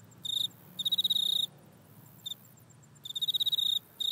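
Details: Grasshopper in a back yard, captured on an iPhone, producing short, bright buzzing trills made of fast clicks, with a long burst, a brief single tick, then another extended pulsed burst.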